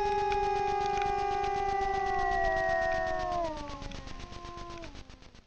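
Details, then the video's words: Two wild grey wolves howling in unison before a camera trap at night in the Frýdlant area of Czechia, sustained level tones that slide down in pitch and fade toward the end. "Vyjící vlci na Frýdlantsku"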